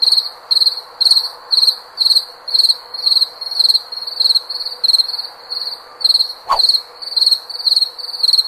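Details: Cricket chirping with bright, high trilled pulses close to twice per second, one sharp click partway through, and a gentle steady hum beneath.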